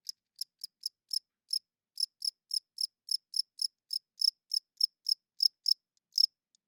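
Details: Cricket chirping loudly at night, high clean chirps repeated at uneven intervals, about three per second with short pauses, no other sounds in the background.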